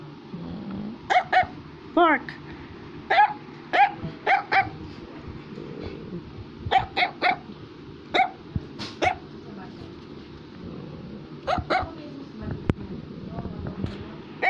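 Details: Affenpinscher barking repeatedly at home while a boy tries to speak: sharp, high yaps in pairs and clusters across the whole stretch, with one wavering whine-like bark early on and a child's voice underneath.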